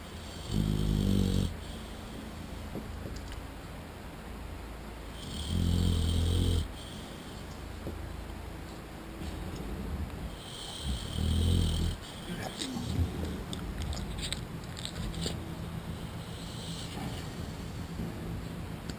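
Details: American Bulldog asleep on a lazy Saturday, snoring in deep, rumbling bursts of about a second, roughly every five seconds, with quieter breathing between.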